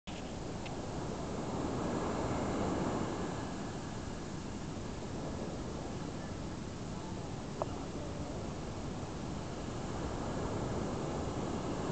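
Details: Only a steady low rumble of wind or surf is heard, with no clear animal calls.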